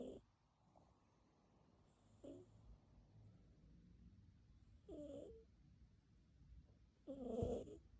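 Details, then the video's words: Sleeping domestic cat snoring: soft, breathy snores with a faint nasal edge, recurring about every two to three seconds, the last one longest and loudest, against near silence. "Snoring cat"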